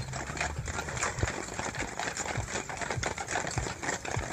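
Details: Clydesdales walking in a parade from the Town Hall to Watson Park in Merrimack on a Saturday; steady clip-clop of hooves on pavement with crowd noise and broadband street hiss.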